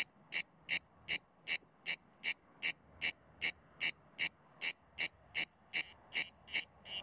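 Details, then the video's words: Mediterranean cicada (Cicada orni) calling from a pine trunk in a quiet area outside Sueca, Spain, in September 2017, held back by alertness; steady train of bright, buzzing chirps about every 0.4 seconds, growing slightly louder toward the end. "CIGARRA MEDITERRÁNEA (Cicada orni) cantando en Sueca"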